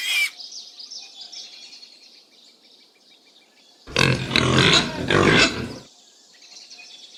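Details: Pig with loud, harsh, noisy grunts in a burst lasting about two seconds midway, set between quieter stretches of birdlike chirping and twittering before and after.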